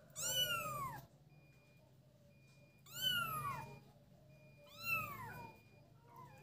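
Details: Playing kittens give three high, clear meows roughly two seconds apart, each starting bright and sliding downward, with a quiet background between calls.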